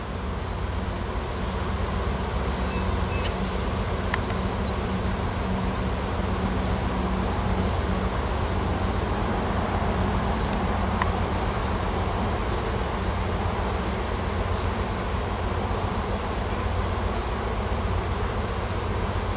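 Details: Swarming wild honey bees with a new queen, clustered in a tree on a Washington farm while searching for a new nest; steady low buzzing drone, even in loudness for the whole stretch, with faint brief clicks.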